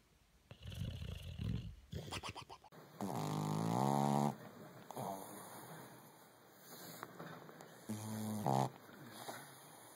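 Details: Dog asleep, snoring with low, throaty, buzzing inhalations in a few separate bursts, over a steady electrical hum and some faint background noise.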